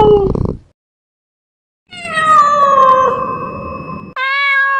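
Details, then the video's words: Cat calls aimed at driving away mice: a short opening meow, a pause, then a long loud meow that falls gently in pitch and ends in a higher, abrupt final note. "Tiếng mèo kêu đuổi chuột"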